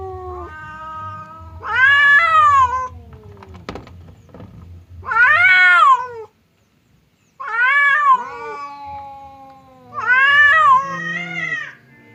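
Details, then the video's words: Cat standoff between fierce Temon and quiet Lelo, separated by a divider so they cannot fight; four loud wavering yowls about every three seconds, each rising and then sliding down, with a brief click and low background noise. "SUARA KUCING BERANTEM | cat fight sound"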